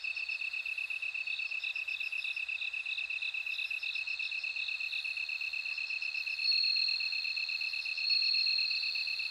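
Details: Bell crickets singing in a layered insect chorus: a bright ringing trill grows louder in the second half, above a constant rapid pulsing chirp and scattered high pulse series; quiet background otherwise.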